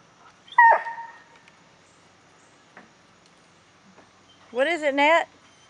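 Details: Hound giving a short high whine, then after a quiet pause a wavering, quavering howl of about half a second; otherwise near silence with faint background hiss.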